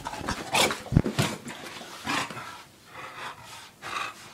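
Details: Porkchop, a male English Bulldog, scampers around a condo hunting for pizza, giving loud irregular snuffling snorts and breathy huffs, with clustered bursts early and softer puffs later, plus light thumps of movement indoors.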